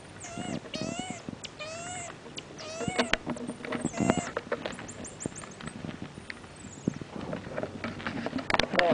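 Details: Pet marmoset repeating short, high, buzzy whistled calls about once a second, then quieter squeaks while people talk and handling noises continue in the room.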